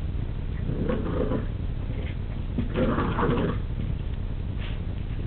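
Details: Rudy, an excited poodle, plays with his pink pig toy, giving short grunting, whiny vocal bursts near the first and third seconds over a constant low rumble of background noise.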